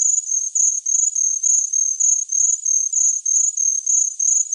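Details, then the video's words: High, shrill cricket chirps come in rapid bursts of roughly three pulses per second, an unbroken insect trill with nothing else heard. "Best Cricket Sound Effect Ever Tinnitus Masking Sounds Chirping Cricket"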